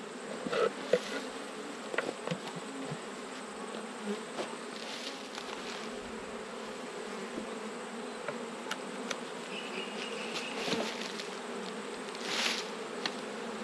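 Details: Honey bees in an open hive during an autumn inspection of twelve colonies: a dense, steady low hum with layered overtones fills the whole stretch, broken by scattered clicks and knocks of frames being handled.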